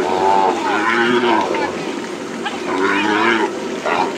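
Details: Calves bawling during branding work at Hato Las Carmelitas ranch on the plains: two long, harmonic, wavering bawls, each about a second, with a shouting man close by.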